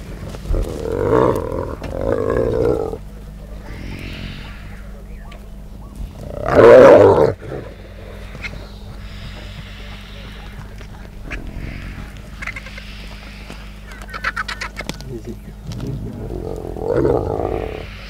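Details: Clan of hyenas feasting on a wildebeest carcass, fighting each other and vultures: rough, throaty growling bursts near the start, a loud harsh snarl midway and another growl at the end, with low rumbling noise between.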